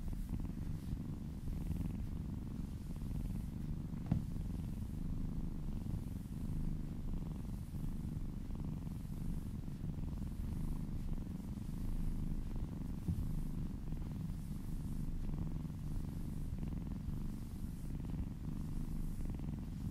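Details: Massaged kitten purring contentedly indoors: an unbroken low rumble lasting the whole stretch, with gentle periodic breath swells and a single brief click near the start.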